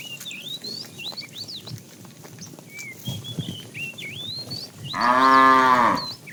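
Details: Calf from a herd of cows roaming in the morning looking for food gives a single clear moo of about one second near the end; bird chirping and light shuffling fill the earlier part.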